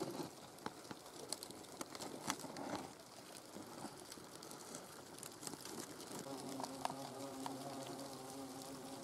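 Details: Hornets inside their nest: a soft, low droning hum, steadier and clearer in the last three seconds, under constant crackling and scratching clicks from movement in the nest.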